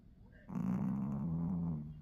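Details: Sleeping Pomeranian puppy napping and snoring, one steady, low, buzzing rumble of about a second and a half that starts abruptly after a short quiet pause.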